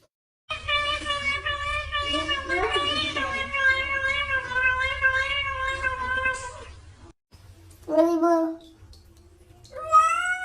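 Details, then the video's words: Indoor domestic cats "talking": one long drawn-out wailing meow held steady for about six seconds with rich harmonics, followed after a pause by two shorter rising-falling meows, with a human voice faintly mixed in. "CATS TALKING..."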